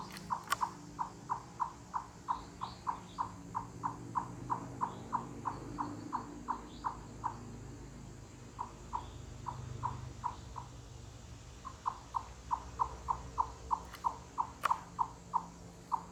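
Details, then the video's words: Wild chipmunk calling in forest and mountains, loud clucks said to carry hundreds of yards, made with full body effort; hollow knocking clucks about three per second in long bouts with short pauses, a few faint sharp clicks behind. "Chipmunk Cluck Cluck Wood Knocking Sounds"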